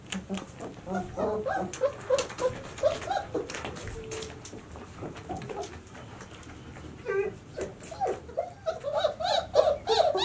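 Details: Puppies of the White Swiss Shepherd breed, 26 days old, from Sienna and Valentino's 2019 litter, squeak and whimper in quick, uneven bursts. The high yelps pause midway, then resume more densely and loudly toward the end.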